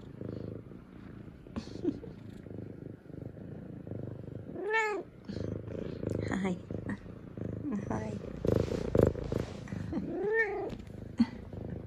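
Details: A female F2 Savannah cat, excited and happy that her owners are home from work, gives two clear rising-then-falling good-morning meows amid head nudges and purrs while a woman talks and laughs softly.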